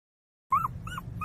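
A puppy cries in short, high, whining whimpers, each rising then falling in pitch.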